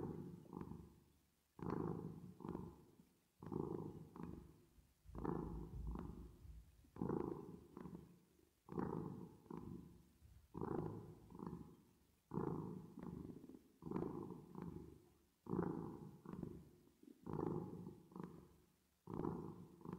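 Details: Continuous cat purring with a reverb effect: low grainy rumbles rising and fading in pairs, around a dozen breath cycles at an even pace of one every one and a half to two seconds.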